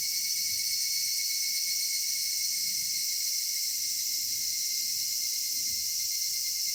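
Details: Cicadas singing at summer dusk in a cedar forest: a dense, steady, hissing high-pitched drone with a thin constant whine beneath it, unbroken throughout, and a faint low rumble in the background.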